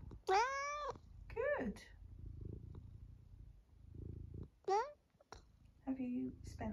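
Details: Elderly long-haired tabby cat in the UK, almost 12, chatting with meows and mrrps: a strong arched meow, a quick downward squeak, a later short meow and a flat trilling mrrp, with a soft human voice murmuring between calls.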